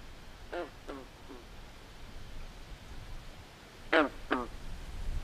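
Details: Frogs calling at night by a swamp: short hoarse, quack-like croaks in a loose pair of three near the start, then a louder double croak after a long quiet gap, over soft low background hiss.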